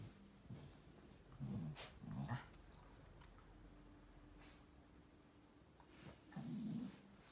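A Shiba Inu makes low, rumbling grumbles in short bursts, with a pause before a final longer one.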